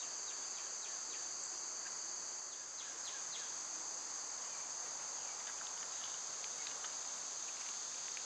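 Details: Summer cicadas fill the air with a continuous, shrill, whining drone that holds level throughout. Scattered short, downward-sliding chirps from birds break in here and there.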